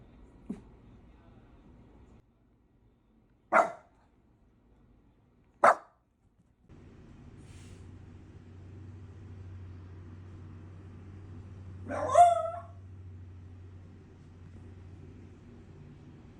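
A Shiba Inu gives three short, sharp barks, then a longer wavering yelp that rises and falls.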